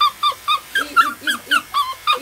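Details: Small Yorkshire Terrier in a grooming salon, giving a quick series of about nine high, whining yips with a bent, slightly falling pitch, roughly four per second, each short and harmonic-rich, in a quiet room.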